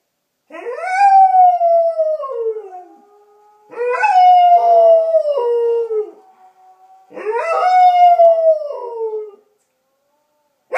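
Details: German Shepherd Collie mix, thought to be part wolf, answering wolf howls; three loud drawn-out howls that swoop up and then glide down over about two seconds, with quieter held tones linking the first two.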